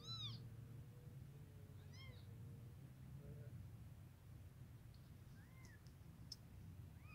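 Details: A black mother cat and her baby kittens together; several short, high-pitched mews rise and fall in quick arcs, widely spaced over seven seconds, with soft lower murmurs between them over a constant low rumble.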